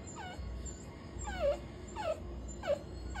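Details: Puppy crying after being scolded: high, tonal whimpers that slide down and end in a brief sharper note, about four cries spaced roughly half a second apart, over a low steady hum.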